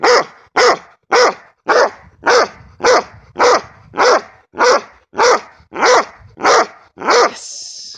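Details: Belgian Malinois barking during bark and hold training: loud, harsh barks in a steady run, about thirteen in eight seconds, evenly spaced, ending with a brief hiss-like noise.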